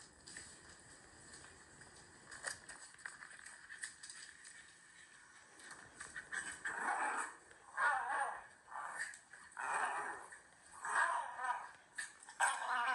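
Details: Shiba Inu dog relaxing on a sofa after a sunny-day walk, watching footage of himself running wild in the rain and making an embarrassed 'ehe ehe' grinning sound; breathy panting bursts roughly once a second follow a quiet opening, indoors.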